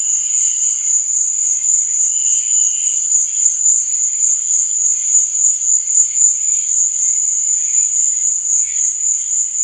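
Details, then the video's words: Crickets at night keep up an unbroken, piercing high-pitched trill, rapid and even, while quieter mid-pitched chirps come and go beneath it. "Cricket Sound| Sleep and Relaxation Nature Sound| Stars &Moon| Cricket Noise| Night Sound"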